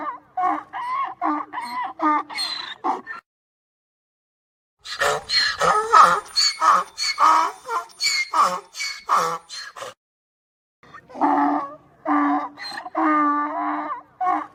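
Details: Donkey bray sequence of rapid, repeated harmonic honks, a rough noisier stretch in the middle, then more steady wheezing hee-haw pulses after a brief silence.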